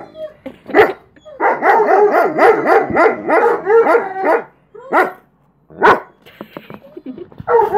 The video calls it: German Shepherd howling